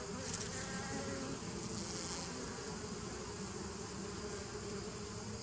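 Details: Bees humming on 27 September 2018, a dense, even drone with layered low pitches and a brief brighter flick of sound near the start, otherwise steady and unbroken.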